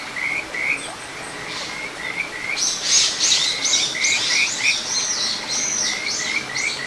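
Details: Kajika frog in a small satoyama stream, Ichihara, Chiba Prefecture, Japan, June 2022: short high chirps repeated steadily, partly covered midway by louder, harsher, rapidly pulsed calls from another animal.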